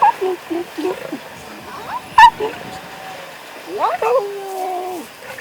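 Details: Two small and two tiny lion cubs resting and eating with their mothers in the Masai Mara on 2.11.2022, filmed with a Sony FX30. Short whining mews, then a louder bent, falling whimper with harmonics near the end, over quiet background hiss.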